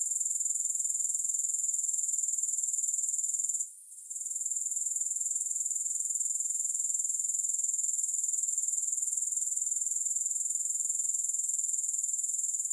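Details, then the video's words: A high, hissing grasshopper drone pulses rapidly and evenly. It drops out for a moment early on and then continues unbroken. No other sounds. "Grass Hopper Sounds"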